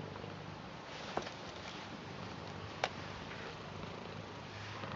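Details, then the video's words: British Shorthair cat named Garfield purring steadily in a small room while welcoming and showing love for its grandad; a low continuous rumble runs throughout, broken by two brief clicks. "Garfield British Shorthair Cat Purr Blue Welcome And Loves Their Grandad"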